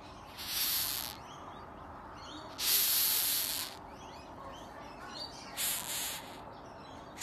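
A rhinoceros beetle gives three breathy, airy hisses, each lasting under a second.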